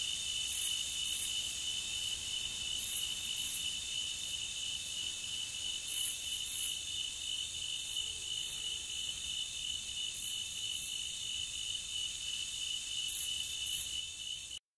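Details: Nighttime-style cricket ambience: dense, unbroken high-pitched trilling from many insects, with occasional brighter pulses every few seconds, ending abruptly.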